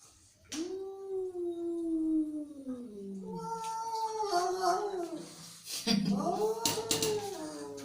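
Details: Angry cat holding a long, sagging moan, then a wavering yowl broken by short hisses and a rougher, louder cry near the end.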